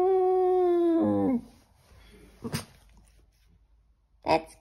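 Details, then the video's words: A Boston Terrier sings along to the Gilligan's Island theme, holding one steady, clear howl before it breaks and drops in pitch. Near-silence follows, broken by a couple of sharp clicks or knocks. "the Boston Terrier sings his and brother Gilligan’s theme song"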